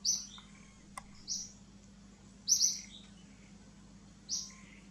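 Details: A baby monkey calls for its mother with sharp, shrill squeals, four brief high cries in quick succession, two of them nearly run together, against a faint constant hum.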